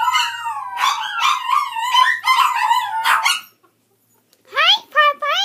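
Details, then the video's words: Puppy howling close up with bright, quavering yelps for about three seconds. After a short silence come sharper, rising whines. "My little puppy's or howling"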